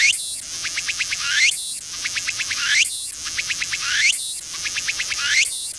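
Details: A Walker's cicada (tsukutsukuboshi) on a coastal tree in autumn sings slowly in cool, barely short-sleeve weather: a buzzy burst, then a run of pulsed phrases ending in a rising sweep, repeating slowly.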